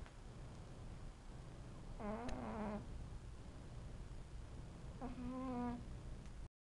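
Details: A cat snores twice, each long, droning, harmonic breath lasting under a second and settling onto a steady low tone, over faint room noise.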